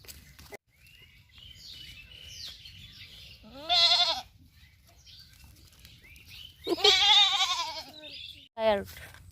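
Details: Baby goat at play with a boy bleats twice, each a shaky, quavering, nasal cry about half a second to a second long, several seconds apart, with a boy's voice speaking between the calls.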